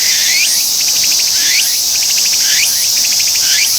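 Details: Tsukutsuku-boshi cicada in song, calling right after alighting; loud high buzz with a repeated phrase about once a second: a quick upward sweep followed by a rapid run of short pulses, cycling steadily.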